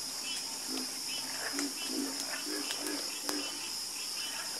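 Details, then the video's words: Several frogs croak in a nighttime chorus, giving low, pulsed croaks about every half second, with sharp clicks and a continuous high insect whine behind. "Calming Sound Of Harmonious Frog Croaking"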